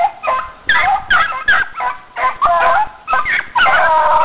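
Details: Dogs running, giving short sharp barks and yips in quick bursts, some rising whines between them, several dogs calling over one another.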